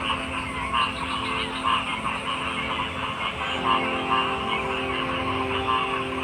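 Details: Frogs croak in a dense, continuous chorus: short, repeated mid-pitched notes layered over a steady buzzing drone and a broad background hiss, with no clear gaps.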